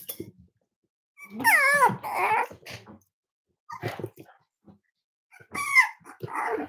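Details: Cavalier King Charles Spaniels playing in the kitchen at Red Barn Cavaliers on a chilly Thursday morning, with puppies, mothers and adult dogs present. Two high, wavering whines with rich harmonics, falling then rising, are separated by soft bumps and rustling.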